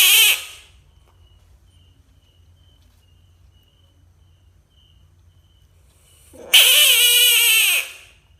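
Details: Frog screaming: a brief harmonic cry at the very start, then a loud, wavering, strongly harmonic scream lasting over a second. A faint steady high insect-like tone runs underneath in between.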